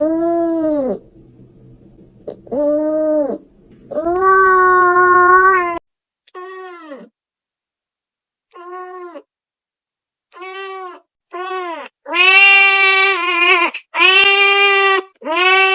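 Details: Kitten meowing, said to attract cats: a run of about twelve clear, tonal meows, each rising then falling, with short silent gaps; the later meows come higher and brighter, closer together and louder.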